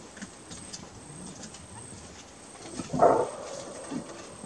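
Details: In Kruger National Park, a greater kudu gives its alarm call, one loud, hoarse, explosive bark rising sharply out of a quiet background of faint hiss and low rumbling.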